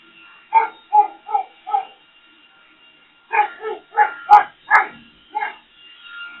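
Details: Boxer dog barking at a leaf blower: four quick barks about half a second apart, a short pause, then a faster burst of six sharp barks, with a faint steady tone underneath.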